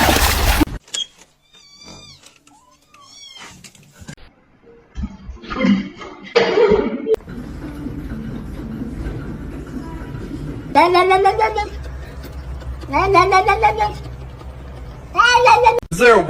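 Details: Kitten meowing indoors at home: several drawn-out, arching harmonic meows late in the stretch, mixed with people talking, laughing and shouting, plus a few faint short chirps early on.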